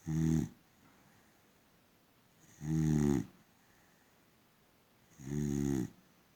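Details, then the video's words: Asleep, a boxer dog gives three strong, evenly spaced snores roughly every two and a half seconds, each a deep buzzy rasp with stacked low harmonics, separated by near silence. "Funny sleeping boxer dog! Gorgeous snoring!"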